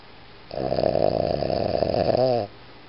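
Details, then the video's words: Iggy, a Boston Terrier, lets out one long rattling snore lasting about two seconds, harsh and pulsing with a rapid vibrating texture, ending in a slight falling wheeze, against a quiet indoor background. "ボストンテリア イギー いびき"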